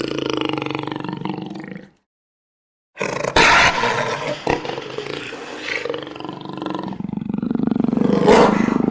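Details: Jaguar roaring in harsh, noisy bursts, first a sustained growl, then a short silence and a louder rasping roar that trails into a lower drawn-out rumble.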